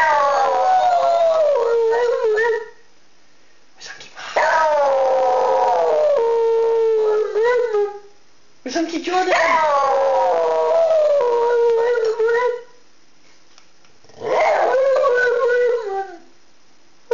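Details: A pet dog howling in long, wavering, falling tones, four drawn-out bouts of about three seconds each separated by short silences.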